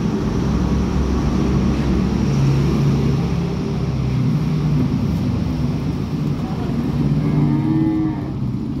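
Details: Cattle, newly arrived stock of calves and mother cows. Low, drawn-out moos come in several bursts over a steady low rumble, with a brief higher tonal sound near the end.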